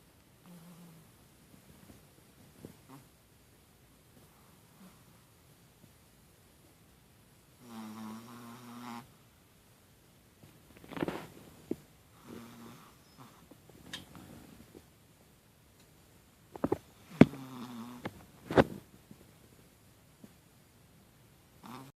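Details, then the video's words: Tiny puppy asleep, snoring in short uneven bursts: a longer buzzy snore, then several brief raspy breaths and faint snorts, with near silence between them. "Tiny dog snoring"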